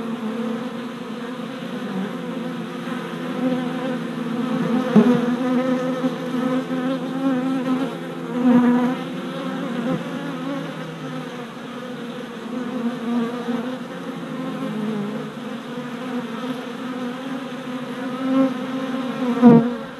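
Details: Worker honey bees making orientation flights at a new deep hive four days after a package of bees was installed, 27 April 2017, filmed on a GoPro; a dense, steady humming buzz with stacked tones, swelling briefly as bees pass close.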